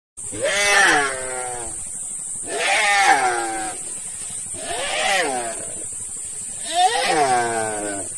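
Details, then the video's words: A deer being eaten alive by a Komodo dragon cries out in four harsh, wavering bleats, about two seconds apart, each bending down in pitch, over a steady high hiss. "Komodo Dragon eating Deer alive (poor deer)"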